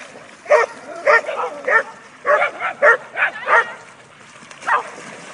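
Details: About eight dogs playing together in a river; several loud, punchy barks overlap in an irregular volley, roughly one per second, then a lone bark near the end over steady running water.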